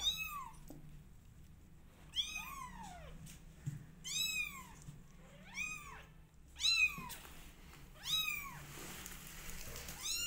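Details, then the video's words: Domestic kittens about 20 days old, part of a cat family, give high arched meows with rich harmonics, about six calls spaced roughly every one to two seconds, over a faint low background hum. "Meow Cat Family Is 20 Days Old Now Cutest And Loudest Cat Family"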